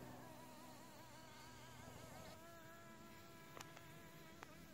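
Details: Australian native leafcutter bee nesting in a sandstone wall: a soft, continuous wavering buzz with a slightly shifting pitch. A few faint clicks sound near the end over quiet background hum.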